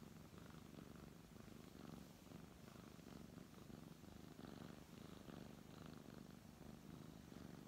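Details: Brown tabby cat purring under a man's stroking hand; deep, constant rumble with regular breath-paced swells roughly once a second and soft rubbing sounds on top.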